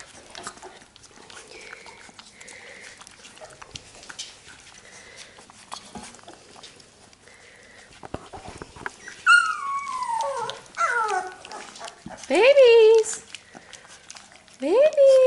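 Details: Labrador Retriever puppies getting their lunch. After about nine seconds of quiet rustling, high whines begin: sliding, downward-curving cries with rich overtones, several overlapping, coming in bursts toward the end.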